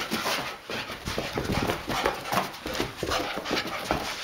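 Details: Puppy panting while playing: quick, rough, breathy bursts in an irregular stream of about two to three per second, with a man speaking Japanese and a slight shuffling noise around it.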